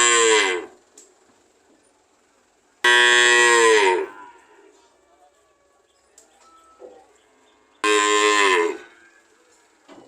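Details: Cattle mooing in drawn-out, rich harmonic calls that sag slightly in pitch, three moos spaced several seconds apart, with faint background noise between them.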